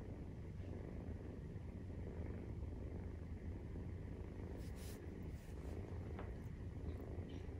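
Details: Continuous deep rumbling purr from a Maine Coon cat at nursing time with a 43-day-old kitten, even and unbroken, with a brief higher rustling noise around the fifth second.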